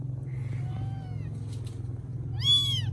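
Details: Rescued kittens in Vietnam, fed and settling down: faint thin mewing early on, then one sharp, bright meow near the end, over a strong steady low hum.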